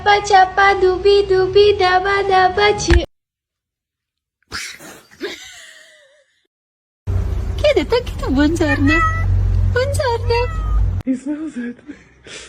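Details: Domestic cat in a funny meme compilation giving a run of short, bending meows that dip and rise in pitch, several in quick succession, with human speech before them and a steady low hum underneath.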